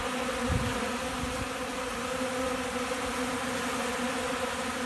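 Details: Honey bees feeding from a hand on a windy Central Alabama day ahead of rain; constant low buzzing drone partly buried under broad wind hiss, a gust thump near the start.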